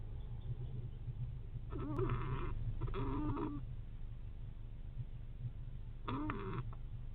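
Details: Adult male fox squirrel asleep in a south nest box on a night of heavy rain storm, snoring after an hour of grooming and drying: fast, steady low rumbling pulses, broken by three short louder nasal tonal bursts that bend in pitch.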